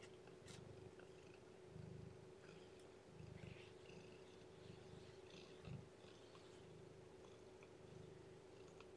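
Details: Weak newborn kitten whose weight has dropped, being fed and kept warm indoors; low purring comes in separate bursts over about nine seconds, with faint scratchy handling sounds and a constant background hum.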